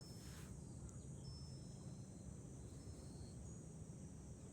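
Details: Cicadas in July, heard from a hilltop overlooking Fukuoka city, Japan: a steady, high, hissing drone holds without a break while low wind rumble runs underneath.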